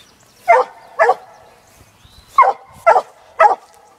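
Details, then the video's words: Black and Tan Coonhound, six months old, female, working a laid coon trail: five clear, strong barks about half a second apart with a short gap after the first two, ringing tone after each. "Black n tan coon hound working coon trail"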